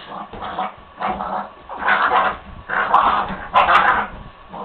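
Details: Playful growls and yips from a puppy at night during rough play with Maia, loud bursts about once a second, some broad and noisy, with short quieter gaps between.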